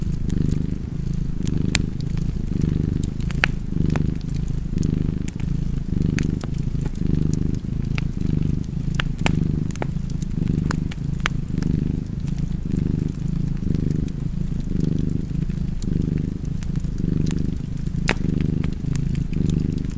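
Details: Long stretch of relaxed cat purring with fireplace sounds, the deep rumble cycling steadily with each breath around fifty times a minute, small fire crackles and pops ticking throughout.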